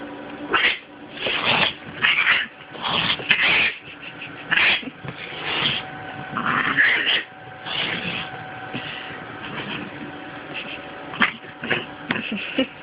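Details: Kitty, a female pet cat who repeatedly attacks her own tail, caught on a Sprint Evo phone; a long run of harsh, broken yowling and scratchy bursts, loud and irregular, fading toward the end after someone calls her name.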